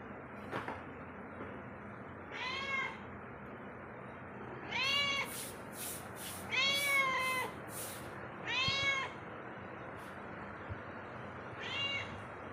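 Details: Domestic cat roaming through a home meows again and again, arched rising-falling calls roughly every two seconds, accompanied by faint clicking or tapping sounds in a quiet room.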